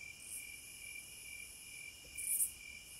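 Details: Cicadas in the wild make a continuous piercing high hum. Beneath it runs a lower, evenly pulsed trill, and one louder buzzy surge rises and fades near the end.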